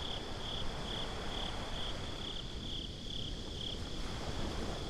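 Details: Beach crickets at night, binaural: a short run of bright, evenly repeated chirps about two per second that fade after three seconds, leaving steady low wave and wind noise.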